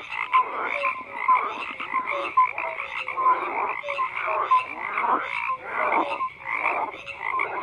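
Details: Dense frog chorus: layered rasping croaks with brief clear piping notes recurring roughly once a second over a steady background of overlapping callers.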